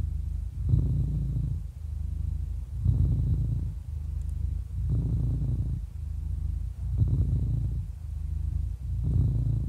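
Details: An 11-year-old happy cat purring steadily: a deep, continuous low rumble that swells and eases in cycles of about two seconds as the cat breathes in and out, with no other sounds.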